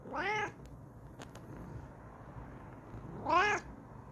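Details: ['Bengal cat Kokoa calling out in excitement from her new chair: two strident, bending meows, one at the start and one near the end, separated by a quiet stretch with a couple of faint clicks.']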